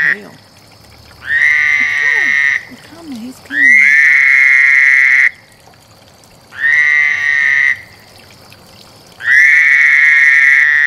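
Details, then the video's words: Mating frog gives long, even, buzzy trills of about one to two seconds, four of them separated by short quiet gaps; a person talks briefly near the start. "Frog Lovefest"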